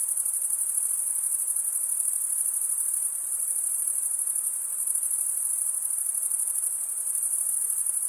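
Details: A continuous high, thin trilling from many crickets, even in pitch and loudness from start to finish, forming a seamless wall of shrill chirps with nothing else audible behind it.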